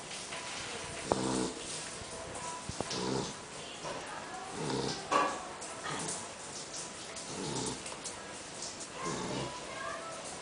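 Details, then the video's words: Tutuca, a female poodle, snoring loudly while napping after a meal. Throaty, buzzy rasps with stacked tones rise and fall with her breathing, about every two seconds, with some faint background noise. "POODLE TUTUCA RONCANDO"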